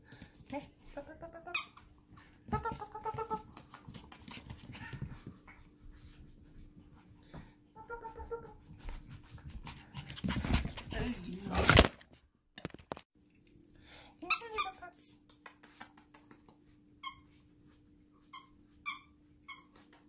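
Lhasa Apso puppies give thin, high squeaks and whimpers in short bursts.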